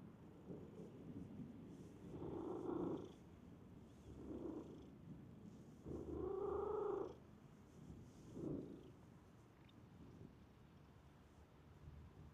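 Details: A stray cat from a park, approaching someone it recognizes, makes a series of short nasal mews roughly every two seconds, the longest near the middle, against a quiet low background hum.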